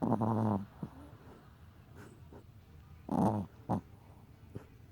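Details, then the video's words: Pet Chihuahua asleep and snoring: a loud, buzzy snort-like snore at the start, then a second rasping snore about three seconds later with a brief catch after it, over a quiet indoor background. "Chihuahua roncando/Chihuahua snoring"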